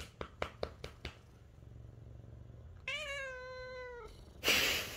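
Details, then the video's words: Male lynx (tabby) point Siamese pet cat meowing in annoyance when the tapping on his behind stops: a few quick taps, then one drawn-out, harmonic meow sliding slightly downward, ending in a brief noisy rustle. "Cat complains when I stop spanking him"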